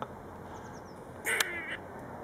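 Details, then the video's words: Grey squirrel at the back of a house, friendly and curious, making weird noises: one brief, harsh, raspy burst with a quick fainter follow-up, over quiet background hiss. "Up close and personal with a noisy grey squirrel"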